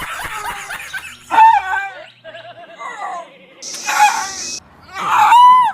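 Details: Pet dog letting out unexpected high-pitched barks each time he tries to poop, making his owner laugh; sharp, squeaky yelping barks come in bursts near the start and end, with music and laughter around them.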